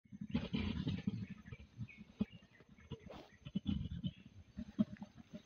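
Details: Mountain gorillas mating in Bwindi, Uganda, giving rapid rhythmic low grunts in dense bursts, with a few brief higher sharp notes scattered between pulses over a quiet natural background.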